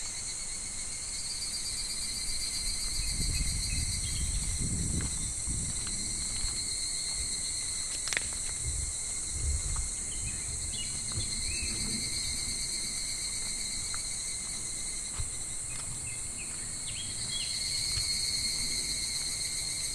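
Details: Cicadas in July drone in a steady, high, shimmering buzz over the low rush of a shallow, slow-flowing clear summer stream.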